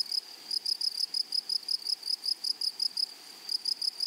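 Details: A short burst of shrill, tonal grasshopper chirps from a flowery prairie, evenly spaced at about three per second with a brief pause, set against a soft background hiss.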